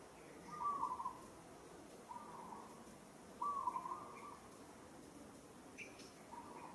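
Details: Struggling as another monkey handles it roughly, a monkey in Kampong Cham Province, Cambodia, gives a few wavering, whistle-like cries, each under a second, with a faint higher chirp near the end and quiet background hiss.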